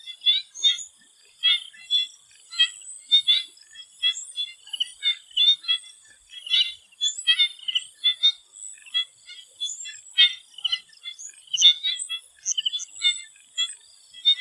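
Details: A chorus of swamp frogs in Thailand before sunset, many overlapping short high clicks and trills in quick irregular bursts, with a steady high insect-like hum running underneath.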